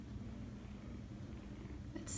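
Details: Seven-week-old foster kitten purring, a low steady rumble with fine rapid pulsing throughout, a faint voice in the background and a brief bright noise at the very end.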